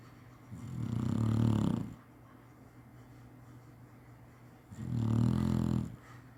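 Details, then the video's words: Napping Chinese Shar-Pei dog snoring indoors: two long, deep, rattling snore breaths about three and a half seconds apart, each swelling and fading over a second, over a faint constant background hum. "cachorro roncando bonitinho chinese sharpei"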